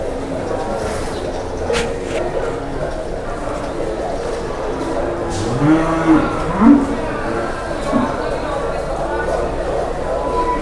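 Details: Cattle at a busy livestock market in Indonesia, a child leading one by rope; two short, low, wavering moos near the middle, over steady crowd chatter, men's speech and market bustle.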